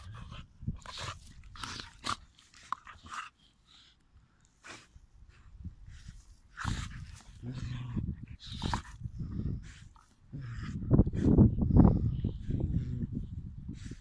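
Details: Play fighting between dogs: scattered snuffles and scuffles at first, then a deeper, sustained throaty growl that swells loudest near the end.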